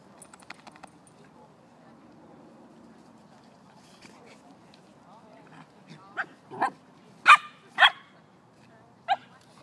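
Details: Samoyed playing with a calf, giving a handful of short, sharp barks spaced about a second apart near the end, after a stretch of low murmuring background and faint clicks.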